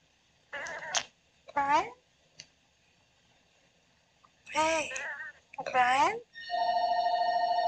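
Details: Daisy, an Oriental Shorthair, talks in her sleep with two short, swooping meows, then two more after a silence, before a steady electronic ringing tone takes over.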